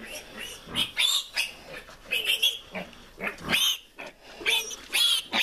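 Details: Farm piglet squealing while receiving a repeat iron injection on its tenth day of life. Loud, shrill, piercing squeals come in irregular bursts with short gaps between them.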